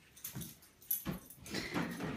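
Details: German Shepherd in training, making a handful of short, harsh dog vocalizations, the last ones louder and run together over a steady background hiss.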